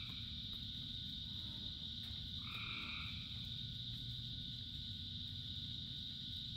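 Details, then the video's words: Frogs calling in rain, part of a chorus of thousands: a single short two-toned croak rises above a steady high-pitched droning chorus and constant heavy rain hiss. "Frogs in Rain 2 Hours of Frogs, Thousands of Frogs Singing"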